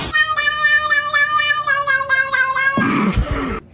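A kitten gives a long, high, wavering meow, then a brief burst of rustling noise.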